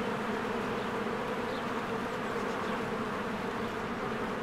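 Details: Swarm of honeybees at a spring beehive, recorded with a Canon EOS R: an unbroken, droning buzz of massed wings, with a couple of soft, faint high chirps in the background.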